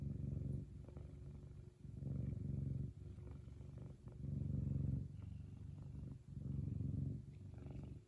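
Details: Kumba, a happy F2 Savannah cat, purrs loudly: a low, steady rumble rising and falling in regular waves about every one and a half to two seconds.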